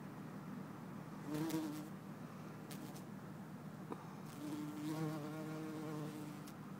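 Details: Bumblebee, possibly Bombus hortorum or Bombus terrestris, recorded in Lisbon, Portugal, 4 December 2011; two brief humming passes of a low drone, the second longer and wavering, over soft background noise with a few clicks.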